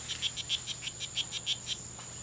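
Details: Two male strawberry poison-dart frogs fighting at the C.R.A.R.C. reserve on 10 September 2012, between 11:00 and 16:00; a quiet, high chirping series of about ten short buzzy notes, evenly spaced, over a steady background hum.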